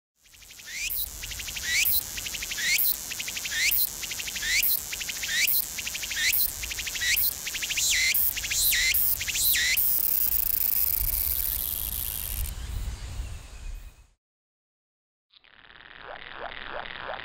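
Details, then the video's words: A Walker's cicada (tsukutsukuboushi) sings a fast run of sharp, rhythmic high pulses ending in a drawn-out buzzing trill, its tone changing with abdomen movements; the sound was recorded in sync with slow-motion footage. "【音ありスロー動画】ツクツクボウシ鳴く"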